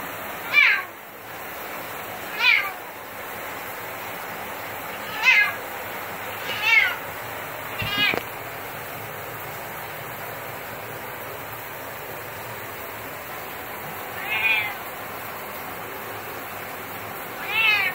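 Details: Male cat that hates shower time, meowing in protest: loud wavering meows at irregular intervals, several close together early then spaced out, over steady rushing water, with a person speaking soothingly.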